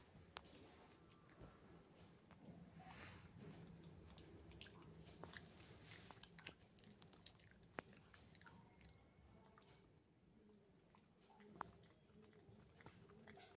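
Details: Shih Tzu pup chewing a chew stick in a small room: continuous soft gnawing and squishy mouthing broken by a few sharp clicks and crunches.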